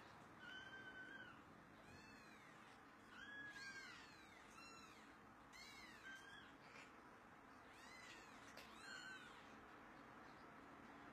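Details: Baby cats giving repeated thin, high-pitched mews, some arching up and down, others clustered in quick pairs. There are about eight calls over steady low background noise.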